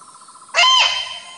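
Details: Single sharp bark of an Indian muntjac (kijang) from the Ijen crater forest in Indonesia, a loud ringing burst with clear harmonics, set against a continuous buzzing insect chorus.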